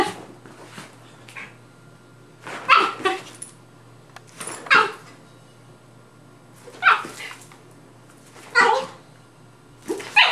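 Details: Playing dogs, a Rat Terrier and a Maltese/Yorkie mix, indoors: sharp playful barks and yips come every one to two seconds in small bursts over a constant low electrical hum.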